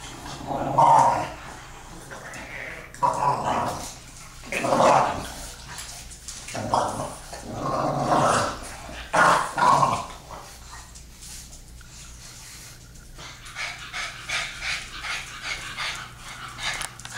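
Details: Nightly play fight between a two-year-old English Bulldog and a four-month-old French Bulldog puppy: repeated throaty growl bursts every second or two during the wrestling, quieter scuffling and softer grumbles toward the end.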